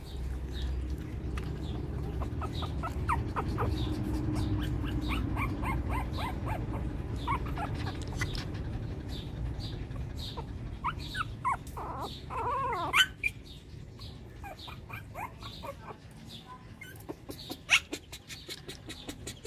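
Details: Shih Tzu puppies, a new litter from 2014, squeak and whine in a run of short, high, falling cries that repeat unevenly throughout, with a low rumbling hum underneath and a louder cluster of squeals near the middle.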